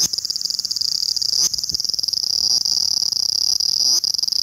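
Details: Aburazemi, the large brown cicada, filmed 18 August 2020, producing a dense, unbroken sizzling drone at high pitch with a slight pulsing texture, like oil frying in a pan.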